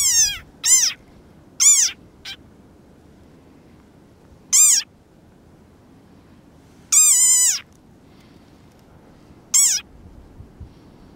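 A desert rain frog gives shrill, squeaky cries that slide downward, repeated at uneven intervals.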